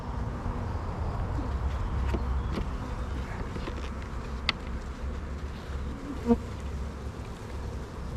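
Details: Honey bees in an apiary during a hive inspection, a colony with many young bees building drone cells; a steady low buzzing drone of many bees fills the recording, broken by occasional sharp clicks and knocks of hive handling.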